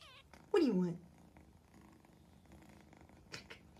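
A Siamese cat gives one loud, falling meow, with a person talking in the background.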